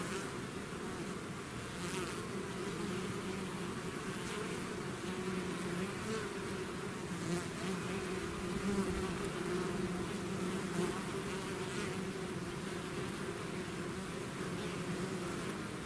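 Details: Swarm of bees pouring out of the hive, producing a constant low buzzing drone that barely varies, punctuated by faint higher whines of single bees flying near.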